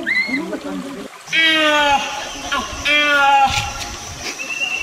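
Proboscis monkey giving two drawn-out, nasal, slightly falling calls over trickling water.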